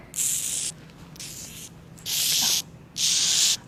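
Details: A live Madagascar hissing cockroach held at a museum gives four loud, breathy hisses, each about half a second long; they hiss to protect themselves.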